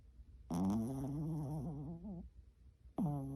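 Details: Loud snoring from a dog asleep: a long, voiced, groaning tone that wavers in pitch for under two seconds, then pauses before another voiced snore begins at the end.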